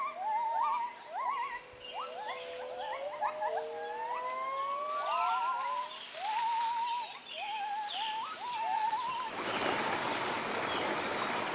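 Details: Wild white-handed gibbons, a family group that mates for life and travels a territorial circuit, sing overlapping rising whoops and wavering trills, several voices layered, ending in a rush of broadband noise like splashing water.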